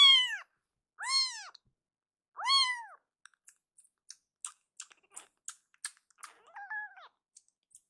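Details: Rescued baby kitten Akuro crying hard, later calmed by being held and kneading with its paws. Three loud arched meows open, then quiet ticking and rustling, and one small wavering mew near the end.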